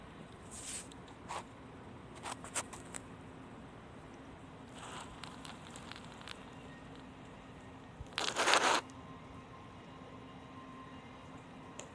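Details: Scattered crackles, rustling and one loud crinkling scrape sound over a faint steady hum, with no animal voice. The noises are short and broadband, like handling or crumpling material in a small room.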